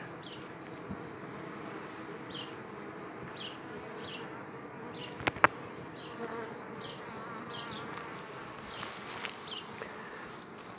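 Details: Colony formation from one frame of honey bees and their queen; a steady droning buzz continues throughout, with faint high chirps recurring about once a second and a sharp knock midway.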